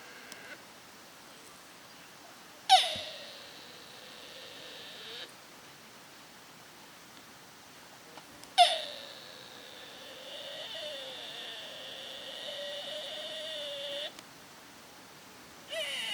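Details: Deer in Nara Park, Japan, recorded 30 March 2022 on an external stereo microphone: two long calls, each opening with a sharp high note and then a drawn-out, wavering harmonic tone lasting several seconds, about six seconds apart over quiet background.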